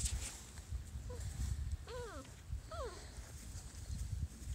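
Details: Five-week-old Small Munsterlander puppies from Jig's litter at Gosch Kennels, in a pen with a blanket: two short, high whines, each arching up then sliding down, about a second apart, over low rustling and handling noise.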